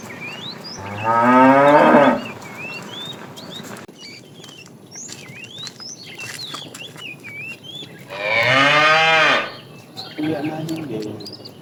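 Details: Tame cows roaming a road looking for food: two loud harmonic moos, one near the start lasting about a second with a falling pitch, another around eight seconds, with whistled bird chirps scattered throughout between calls.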